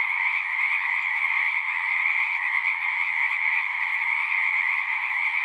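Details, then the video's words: Natural sound of frogs singing: a thick, ceaseless chorus of overlapping croaks and trills, holding an even loudness, with a faint low murmur underneath. "One hour of singing frogs."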